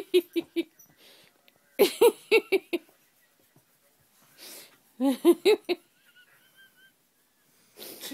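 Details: Cassie, a female Shih Tzu, growls and snorts while held on her back, which she hates; harsh, wheezy pulsed bursts come in three clusters, with a person's voice saying she's so mad.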